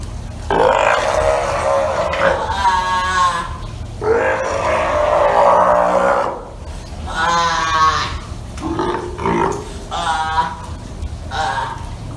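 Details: Steller sea lions at Ise Sea Paradise aquarium, Japan: a newborn nursing pup nibbles the tail of its mother Hina, who does not get angry. Loud, harmonic, bleating roars and grunts come in about six long bouts, separated by short pauses.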